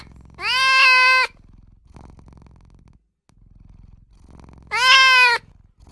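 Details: Newborn kitten mewing for its mother and owner; two loud, sustained, harmonic cries nearly a second long, separated by about three seconds of faint low rumbling.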